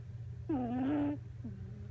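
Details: Miniature Pinscher puppy Coco asleep on a lap after a bout of wild play, face buried so the nose is pressed, filmed December 8; a drawn-out nasal tonal squeak dips then holds level, followed by a shorter fainter one over a steady low hum.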